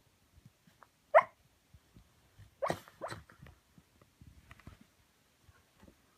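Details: Shiba Inu asleep with eyes rolled back, sleep talking: a sharp squeaky yelp near the start, then two muffled whimpering bursts, with soft breathing and faint rustles in an otherwise quiet room.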